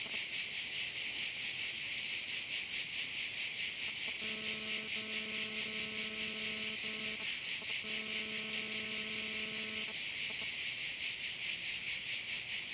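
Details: Crickets at a bay on Korčula, Croatia: a dense, shrill, high-pitched chorus that throbs about twice a second without a break, while a steady low humming tone with overtones starts, stops and returns in the middle.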